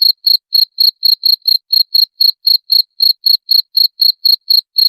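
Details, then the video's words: Cricket call used to scare off rats: bright, shrill chirps evenly spaced, around four each second, crisp and dry against complete silence. "SUARA JANGKRIK PENGUSIR TIKUS"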